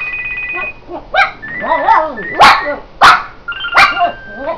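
A dog howls and yodels in wavering, rising-and-falling tones along with electronic ringtone beeps.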